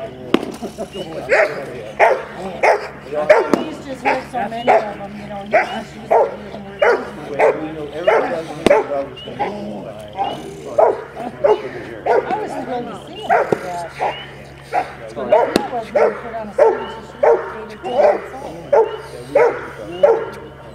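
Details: 10.5-month-old Rottweiler puppy barking during a bitework training session on 15 April 2009: short, harsh barks repeated steadily about every two-thirds of a second, with a man's voice talking in the background.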